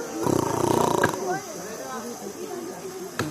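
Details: A Royal Bengal tiger at the zoological park in Mysuru gives a short, deep, rasping roar, followed by people talking nearby.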